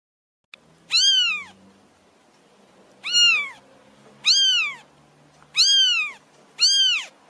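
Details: Cat. Five clear meows from a domestic cat, each about half a second, arching up in pitch and sliding back down. The calls come at irregular intervals of one to two seconds, with a quiet background between them.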